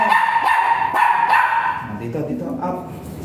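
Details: Dog at the Mapandan vet clinic during a shooter (artificial insemination) service, dam and sire both still virgin; high, tonal whining yelps come roughly three per second, with people talking throughout.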